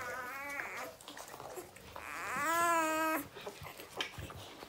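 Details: Newborn puppies whimpering indoors: a short squeaky cry at the start, then a longer rising-and-falling whine with rich harmonics near the third second, followed by faint rustling and soft squeaks.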